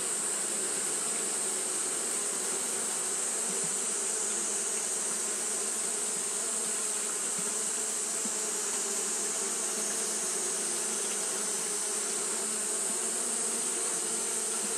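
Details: A hot day's fanning by Japanese honey bees: many wings make a smooth, unwavering buzz with a low hum, accompanied by a steady shrill hiss from start to finish.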